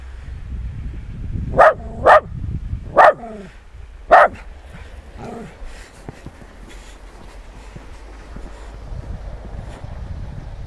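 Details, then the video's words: Nix, a West Highland White Terrier out in the snow, gives four sharp, loud barks in quick succession, the last after a short pause, followed by several seconds of quiet with faint background rustling. "West Highland White Terrier in snow"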